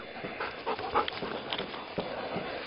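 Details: Brown, a roughly two-year-old pound-puppy mutt, plays with his beloved frisbee; quick breathy bursts of panting fill the short stretch, rough and noisy, with faint background hiss.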